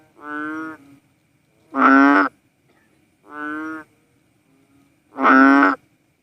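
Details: Cowsound frog (Philippine banded bullfrog) calling in a low, bleating moo: four drawn-out nasal notes. Softer and louder calls alternate about every 1.7 seconds over a quiet background.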